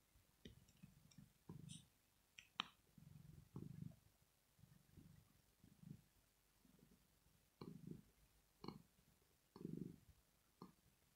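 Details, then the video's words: Purring from Rosetta, a domestic cat asleep and relaxed. Softer, uneven low rumbles come in irregular bursts with small clicks and snuffly breaths between them over about eleven seconds. "ASMR CAT PURRING SOUND"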